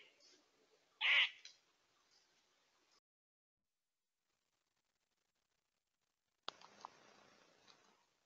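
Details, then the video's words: A squirrel gives a single short, harsh, nasal quaa, loud and abrupt, over faint outdoor hiss, with two small bucks nearby, trail camera in Tomahawk, Wisconsin, early September 2022; after a silent gap, soft rustling returns. "squirrel quaa-ing"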